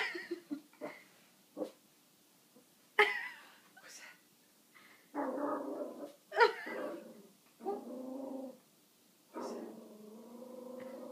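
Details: Six-month-old Yorkshire Terrier Luna growls at a dog shown frozen on the television; low rumbling growls of a second or so alternate with brief high yips and whines, indoors.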